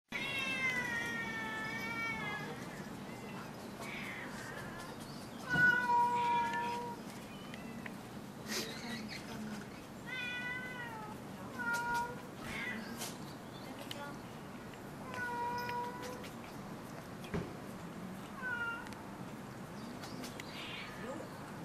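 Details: Cats at Gotanjoji temple, known as the cat temple, meowing again and again. Drawn-out, wavering meows come every few seconds, some rising then falling, over a steady low hum with occasional sharp clicks.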